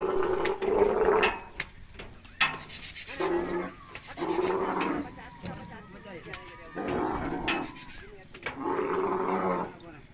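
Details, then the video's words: Camel crying loudly and making funny noises, with harsh, gurgling bellows in rough bursts of one to two seconds, broken by short gaps. "Camel making funny Noise | Camel Noise | Camel sound | Camel Crying loudly"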